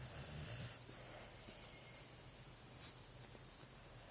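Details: Dog asleep and snoring, with soft low rumbles and breathy hisses that come and go in an uneven rhythm, with a sharper snort late on.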